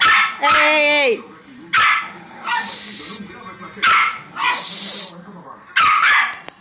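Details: A small female Pomeranian, put in her crate as punishment for destructive behaviour, makes odd, wavering whines and strained, breathy squeals in short bursts.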